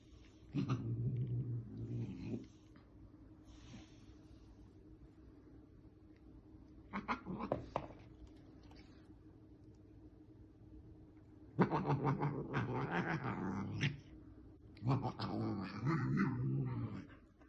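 A Bengal cat gives long, throaty, harmonic yowls in several drawn-out bursts.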